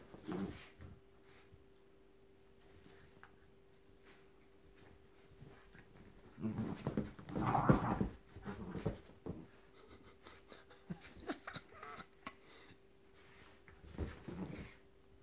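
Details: Frankie, a Jack Russell Terrier, thrashing his teddy in what is called his death rattle: low snuffling grunts and breathy panting in short bursts, a loud cluster mid-way, then a quiet stretch and one more burst near the end.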